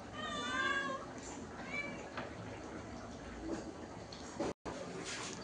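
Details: One clear, wavering meow from a house cat at the start, followed by a shorter faint mew, then mostly Bengali speech in a small room.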